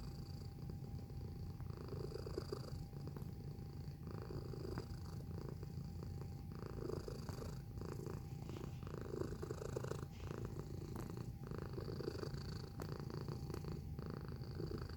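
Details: Cat purring close to the microphone: an unbroken low vibrating rumble whose brighter inhale-exhale pulses come roughly every second, with a quiet steady tone underneath throughout.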